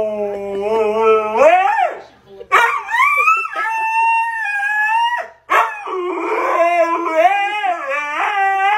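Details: Husky 'talking' with long wavering howls, pitch rising and falling in vocal, speech-like phrases with brief pauses, as a person asks who chewed the headset.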